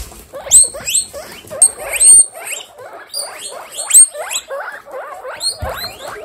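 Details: Young pet guinea pigs gathered in a baby group, part of a 27-animal household; a steady chorus of short squealing wheeks rising in pitch, several high piercing whistles, and quiet rustling underneath.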